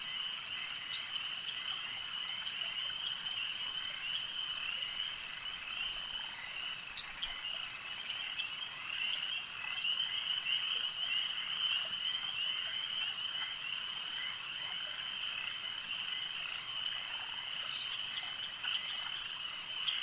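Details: Lakeside frog chorus: many overlapping callers form an unbroken high, buzzing trill, with sparse sharper clicks and chirps scattered above the steady wash of sound.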